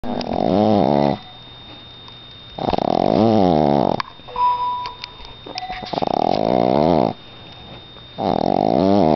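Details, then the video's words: Boston Terrier snoring indoors like an old man: long, loud, rasping snores lasting over a second each, repeating every few seconds with quiet breathing in between and a steady faint hum in the room. "Dog snoring...hilarious!!!"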